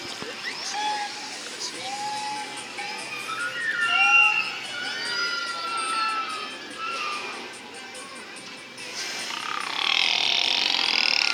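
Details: Killer whale vocalizations played at SeaWorld San Diego during the 11:30 show on April 21, 2015; each pod has its own dialect. A series of tonal whistles, some rising and some gliding downward, over hall ambience, ending in a broad noisy burst.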